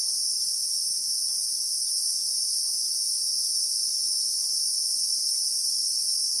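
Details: Christmas beetle (Anoplognathus) sound from the South African bushveld, captured in real time among acacia trees: an unwavering high-pitched insect drone, dense and continuous, with only faint background hiss below.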